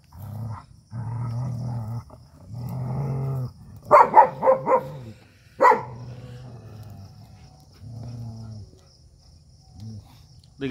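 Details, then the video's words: Fight between an Indian desi dog and a German Shepherd: long low rumbling growls broken by a cluster of sharp barks near the middle, then more steady growling, with a person talking nearby. "देशी और जर्मन शेफर्ड dog 🐕 के बीच हुई तगड़ी फाइट"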